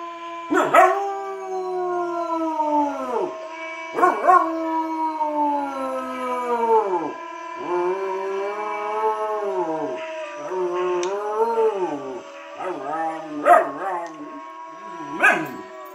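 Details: A 13-week-old wolfdog puppy (Tundra wolf hybrid, Timber Shepherd) gives drawn-out howls that rise, waver and fall, each lasting a couple of seconds. It howls along with a video, and the other voices overlap in a loose chorus.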